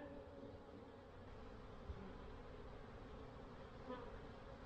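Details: Honeybees in their hives on April 7, 2024, during a spring check on whether the colonies need feeding. A steady, even low hum with faint overtones holds unchanged throughout, broken by a couple of soft knocks.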